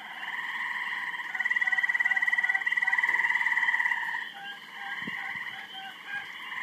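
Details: Frogs croaking noisily while mating, many rapid pulsed trills merging into a steady rattling chorus that swells loudest mid-clip, then eases, with one brief low knock.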